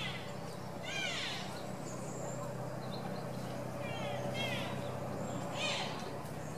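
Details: A wapiti (elk) stag at Tierpark Berlin in September gives high, rising whistled bugling roars over a steady low hum, a rutting display with posturing.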